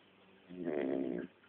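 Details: Shar Pei dog asleep in a bed it shares with its owners, snoring: one rough, buzzy breath lasting under a second with a rattling, pulsing texture, quiet room otherwise.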